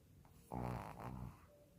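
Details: A sleeping Shih Tzu lets out a single low, raspy snore lasting under a second, framed by quiet breathing in a hushed indoor setting.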